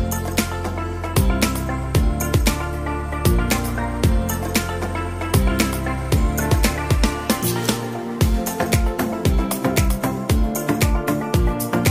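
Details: Loud rhythmic music with a heavy beat and bass throughout, and no animal sounds.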